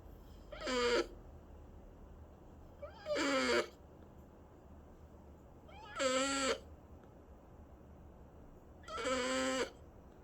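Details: Domestic cat giving four drawn-out, harmonic meows, each about half a second long and spaced roughly every three seconds, with a faint steady hum between them in a quiet room.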